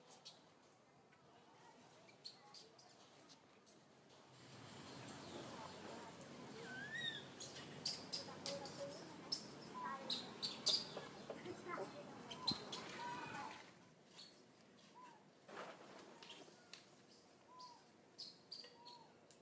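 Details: Little monkey Santo, a baby in a bad mood, cries while his angry mother Sara ignores him; thin, high squealing whimpers that arch up and down, bunched in the middle seconds amid rustling, clicks and scuffling, then a few softer whines.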